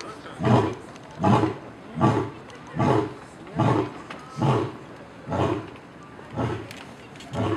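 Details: Loud lion at the Cincinnati Zoo bellowing: deep, grunting pulses repeated steadily about every 0.8 seconds, nine in a row, each a low rough huff with little high content.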